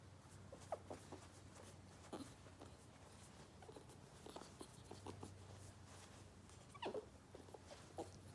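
A ferret gives scattered short clucks and squeaky chirps over a steady low hum.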